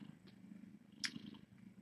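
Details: Brief stretch of steady low purring from a cat in a rescue kitten room on a live cam, with one sharp click partway through.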